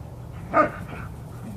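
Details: Single short, sharp bark from one of two pet dogs, a German Shepherd and a Belgian Malinois, playing and chasing in a yard. The bark is abrupt and harmonic-rich, with faint background noise around it.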